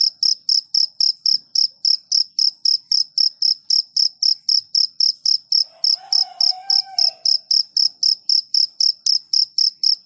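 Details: Cricket chirping steadily in high, pure pulses, close to four per second in an even unbroken rhythm, with a faint low murmur briefly underneath midway.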